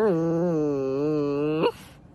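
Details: Siberian Husky playing with a baby, voicing one sustained, low, steady moaning howl that wavers slightly for about one and a half seconds, then lifts briefly upward and cuts off into quiet.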